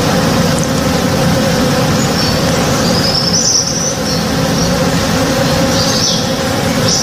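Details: Honey bees working in a blooming tree in a home backyard in the morning: a steady, droning hum with layered tones that never pauses, with faint high bird chirps scattered above and a low background rumble.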